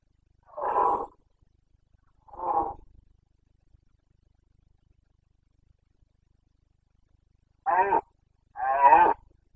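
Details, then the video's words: Rutting red deer stag of the Carpathians, Bucovina, 29 September 2022: four separate hoarse, throaty roars, the first two spaced about two seconds apart, then a long pause before two closer, rougher bellows. "Boncănit / Carpathian stag Breeding season 29.09.2022"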